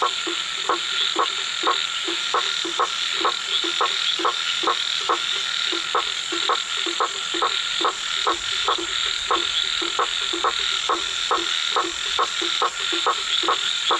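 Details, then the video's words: A blacksmith tree frog (Hypsiboas faber) in Brazil, a nocturnal species that calls more in rainy seasons, repeats sharp, metallic knocks a little over two per second, like a hammer on an anvil. "Sapo-martelo vocalizando (𝘏𝘺𝘱𝘴𝘪𝘣𝘰𝘢𝘴 𝘧𝘢𝘣𝘦𝘳)"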